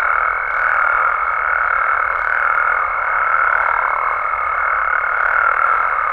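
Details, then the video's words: Dense nocturnal calling of frogs and toads in Mexico, an even, buzzing mass of overlapping voices with a constant thin tone above it and small swells in loudness. "Mexican Frogs & Toads Sounds"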